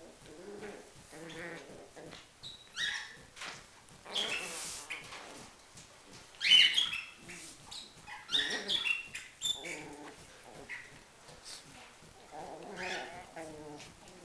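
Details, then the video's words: Schipperke in a fight, snarling in repeated low growls broken by sudden scuffling bursts and a few brief squeaky yelps midway. "Le combat - schipperke"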